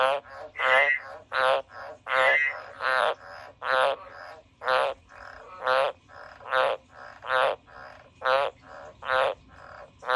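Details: Pet frog giving a steady run of deep, buzzy pulsed croaks, each under half a second and repeated about every three quarters of a second, loud and even throughout.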